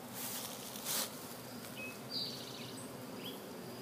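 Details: Honey bees in an outdoor bee yard, lapping sugar water sprinkled on hive frames: a dense, steady droning buzz with a louder swell near the first second, plus a few faint high chirps in the background.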